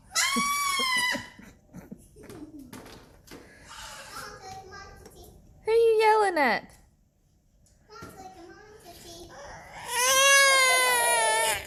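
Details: Young Nigerian Dwarf goat kids give loud, shrill, harmonic bleats, one sliding sharply downward, between bits of human talk.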